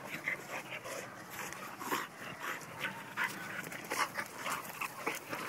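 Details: Labrador Retriever mix up for adoption in Bedford, NY: soft, quick panting breaths repeated irregularly about twice a second, with faint whimpery tones mixed in against low background noise.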